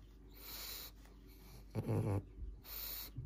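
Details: Pangpang the pug, a little sleepy but curious about the camera, gives one short, low, throaty grunt midway, surrounded by soft breathy snuffles in a quiet room.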